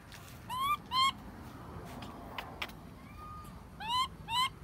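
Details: A baby monkey cries loudly when its mother does not take care of it: pairs of short, rising, harmonic-rich squeals, two near the start and two near the end, over steady background noise and a faint tone.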